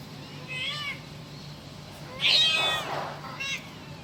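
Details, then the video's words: Kitten calling its mother: three high, thin meows, a short wavering one, then a louder, longer strained cry bending upward and falling away, and a brief final squeak, over a steady low hum. "the kitten calling its mother.lucu habis suara anak kucing manggil induknya"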